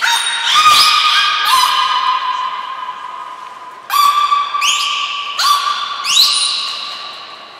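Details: Belugas Mirai and Niko during a training session at the Port of Nagoya Public Aquarium, Japan, on 20 February 2021: bright harmonic whistled tones, mostly held steady, with several sharp rising upsweeps repeating in bursts and no other clear sounds.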